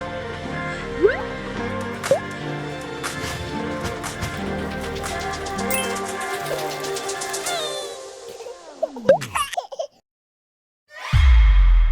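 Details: Playful music with baby laughter and sliding cartoon effects runs for ten seconds, then a short silence and a loud low thump, with no animal voices.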